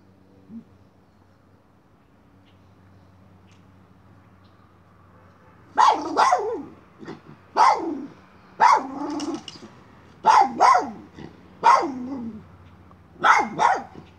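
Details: Miniature schnauzer chasing a chipmunk: several quiet seconds of low hum, then a run of sharp, high barks, mostly doubled, repeated every second or so until the end.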